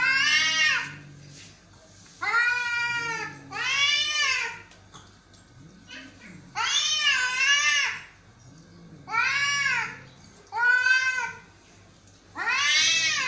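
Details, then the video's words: Aggressive cat fight with loud arched yowls repeating roughly every two seconds, each wavering wail broken by deep rumbling growls in between, indoors with some faint background voices. "Angry Aggressive Cat Fighting"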